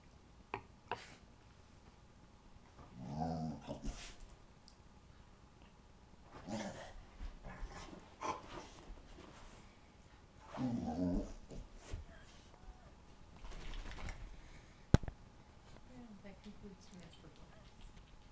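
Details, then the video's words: English Springer Spaniel attacking her bed at night indoors, giving low rough growling bursts of about a second each, spaced several seconds apart with quiet rustling between, and a sharp click near the end. "Aggie attacks her bed"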